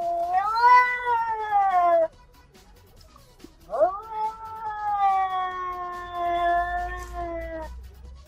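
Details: Domestic cats in a vocal fight: a two-second wavering yowl, a short pause, then a sharp upward swoop into a long, sustained, slightly falling caterwaul lasting nearly four seconds.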